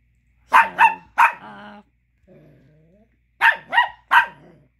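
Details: Chihuahua pup barking angrily, wanting the little bone another dog chews; a quick burst of three yappy barks trailing into a whiny growl, a low rumble, then three more sharp barks.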